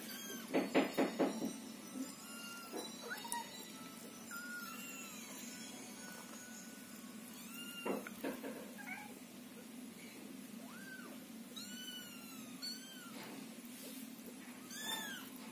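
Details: Scottish Fold and Scottish Straight kittens wait in a box while their house is cleaned, calling loudly as the mother cat stays near to calm them. Many thin, high, arching meows overlap in quick succession, with a louder rustling burst near the start.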